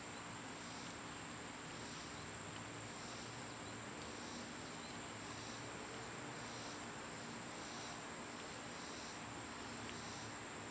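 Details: Cicadas in summer, recorded on a day they were quieter than usual. A steady, high, shrill whine holds without a break. Faint pulsing swells come about once a second over a low rumbling outdoor background.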